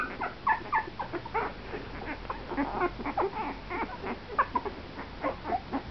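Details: Two-week-old Italian greyhound puppies, about 13 days old with eyes just starting to open, give rapid, high squeaks and thin whimpers in an irregular stream.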